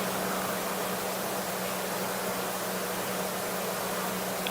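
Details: Steady broadband hiss with a low mechanical hum throughout, like engine or fan noise, and no animal calls.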